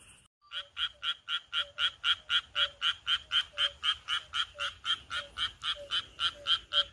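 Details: Frog croaking from rice paddies on a midsummer countryside night: a loud, regular series of short, rasping pulsed croaks, about four per second, steady throughout, with a quieter chorus faintly behind.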